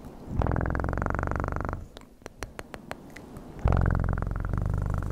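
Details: House cat purring strongly in two long rumbling stretches, separated by a short pause filled with isolated sharp clicks.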